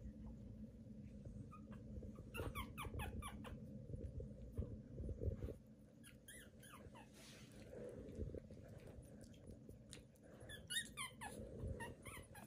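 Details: Newborn Pomeranian puppies squeak and whimper in repeated clusters of high, wavering cries, with quiet gaps between, over steady low rustling from the litter.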